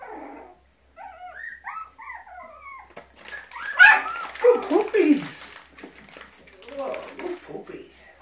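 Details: Five-week-old Border Terrier puppies indoors during training: high, short whines and yelps in quick succession, several pups at once, with a person's voice praising them.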